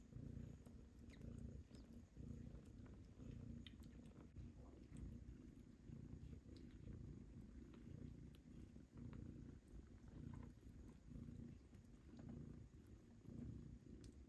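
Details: Domestic kittens nursing and jostling for their mother cat's milk during weaning. A steady low rumbling purr pulses throughout, with scattered soft clicks and rustles above it.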